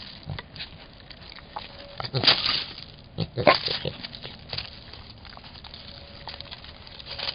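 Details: Angry javelina guarding its young: two loud, harsh, breathy bursts break out mid-clip, each a short explosive huff, over a constant crackling, rustling background with scattered fainter clicks.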